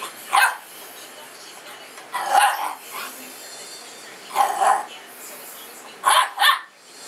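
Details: Mastiff/Boxer mix puppy, female, during rough play: short bursts of barking, single and doubled, separated by pauses of one to two seconds.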